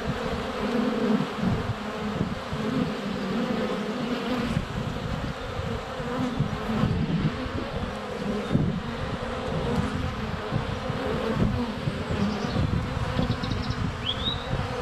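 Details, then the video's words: Honey bees flying around a hive entrance on a sunny February day, recorded with a GoPro Hero 7 Black less than a foot from the hive; a dense, steady low buzzing hum with bees bumping the camera and a faint bird chirp near the end. "Honey Bees - ambient video and audio"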